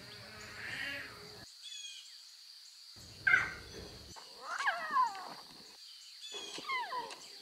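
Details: Lion cubs with their mothers in the wild give short, nasal, harmonic mews and squeals that slide downward, several overlapping in scattered bursts, over a steady high electrical whine with abrupt silent gaps.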